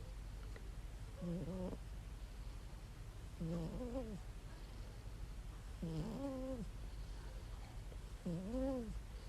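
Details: Sleeping cat snoring heavily and looking content: soft, nasal, tonal snores that rise and then fall, repeating roughly every two and a half seconds over a steady low hum.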